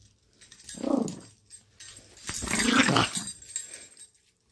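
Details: Lady, a Chihuahua, growling in play, feisty after being happy: a short snarl followed by a longer, louder throaty growl rising and falling, with faint rustling between.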